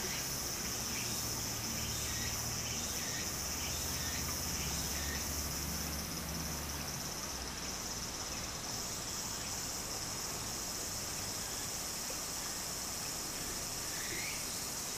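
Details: Summer cicada chorus by a small stream in Japan, a continuous high shrill buzz layered over babbling water, with a low hum during the first seconds and scattered short chirps.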